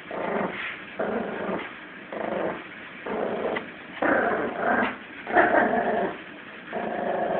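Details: Tug-of-war play growls from a 17-week-old Yorkshire Terrier puppy named Lulu against Jack Russell Eddie; steady run of rasping growl bursts, about one each second, with short gaps between pulls.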